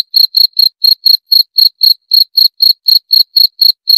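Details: High, piercing cricket chirps repeated rapidly and regularly, around four per second, each short and ringing, with no background noise.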